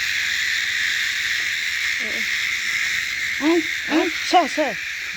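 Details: Dense, constant cicada hissing runs the full length, joined near the end by a few short, arching vocal sounds that rise and fall in pitch.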